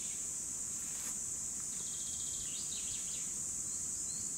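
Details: Chorus of cicadas, recorded in 2017, holding one unbroken piercing high buzz, while faint fluttering chirps of other insects or birds rise midway over a soft background rumble.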